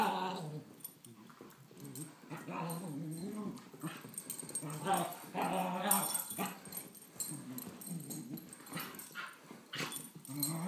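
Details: A 17-month-old Beagle mix and a 10-month-old Great Pyrenees playing together: low, rumbling play growls that rise and fall in uneven bursts, with grumbles, scuffling, and a few sharper yelps throughout.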